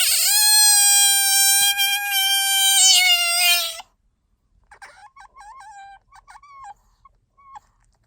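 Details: Pet otter Bingo calling for attention or when sleepy: a sustained shrill whine lasting nearly four seconds, then a quieter run of short wavering chirps and squeaks.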